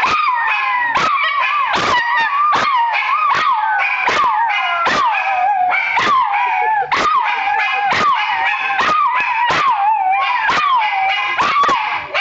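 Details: Two pet dogs howling in chorus, their singing likened to the blues: dense overlapping wavering howls punctuated by frequent sharp yips, steady and energetic for the whole stretch.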